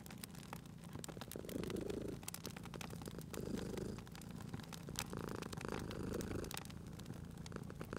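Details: A cute cat sleeping near a crackling fire purrs in soft low waves, three or so swells of rumbling, partly blended with frequent popping and crackling of the flames.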